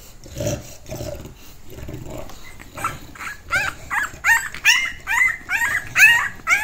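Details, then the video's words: Puppy shouting, an English Bulldog named Cinderella: a few low muffled sounds at first, then rising, bent yelps that grow louder and closer together toward the end. "Puppy Shouting | English Bulldog Puppy : Cinderella"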